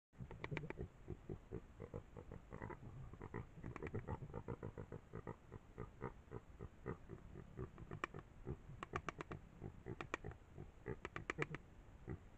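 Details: Javelina making a rapid series of short, low, clicking grunts, several per second in uneven bursts, with a few sharper, higher clicks near the end.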